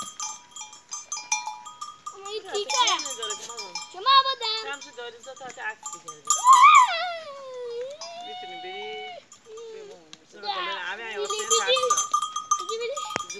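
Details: Playful farm goats in a village setting: a loud rising then falling bleat stands out, followed by a long drawn-out bleat and shorter calls, amid talking people and ringing bells.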